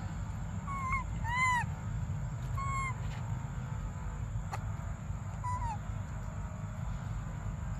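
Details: Baby monkey Briar crying for milk: four short tonal wails near the same pitch, one strongly arched with rich harmonics around one and a half seconds, over a steady low rumble and a constant high electrical whine.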